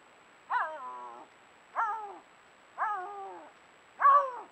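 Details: A Canada lynx recorded in February 2022 during rare-carnivore monitoring gives four harsh, moaning yowls, each falling in pitch, about a second apart.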